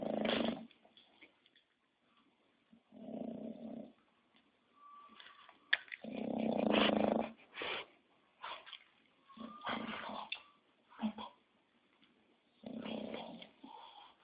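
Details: English Bulldog snoring at rest: coarse, rumbling inhalations at uneven intervals, broken by short snuffles, brief nasal tones and quiet pauses.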